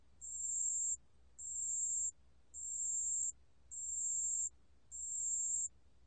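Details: Song of a pale bell cricket, recorded in 2020 by the National Institute of Biological Resources: five clear, high-pitched ringing bursts, each lasting nearly a second, with short silent gaps between them.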